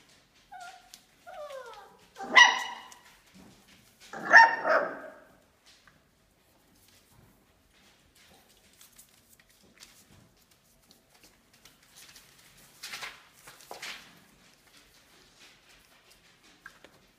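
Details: Five-week-old Australian Labradoodle puppies from Olive's litter: high whiny yelps sliding downward early on, then two loud sharp barks, followed by quieter scattered clicks and shuffling sounds.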